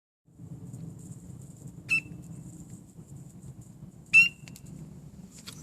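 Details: Coqui frog (Eleutherodactylus coqui), tiny, calling from ivy bushes in an Atlanta, Georgia backyard after sunset, gives two loud, sharp, high chirps a couple of seconds apart over a low night hum.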